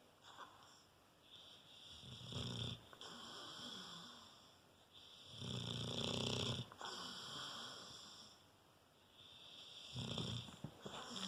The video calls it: Falco rottweiler snoring.